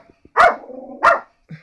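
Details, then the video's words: Dog barking at drums with two sharp barks about half a second apart. A low humming resonance fills the gap between them, and a faint softer sound follows. "Dog barks at drums once again"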